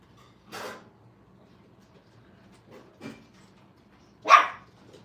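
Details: Five-week-old Brittany puppies playing at a training kennel: a few short, sharp yips and barks, one at the start, a softer one near the middle and a loud bright bark near the end, with quiet gaps between.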